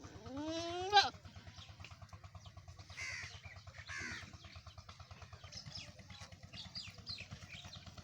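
A goat gives one loud, nasal bleat rising in pitch for about a second, then fainter calls follow over a steady, rhythmic mechanical thrum.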